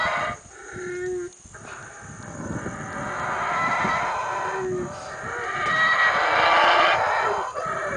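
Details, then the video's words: Howler monkeys at Bocas del Polochic, Guatemala, giving rough, roaring howls that swell and fade over several seconds. Brief tonal bird notes break through above a steady background hiss. "Howler Monkeys"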